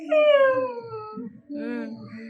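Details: Nine-month-old pet dog Chikku wails after his father left him behind to fetch meat. A clear falling whine tapers off, and after a short pause a second, wavering cry rises over soft music.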